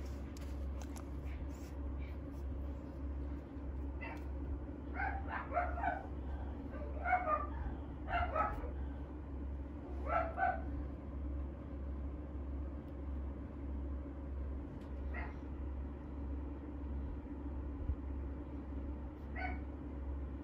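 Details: French Bulldog kept at a dog breeder in Okayama, Japan, giving a quick cluster of short sharp barks and yips mid-recording, then a few isolated single barks, over a steady low indoor hum.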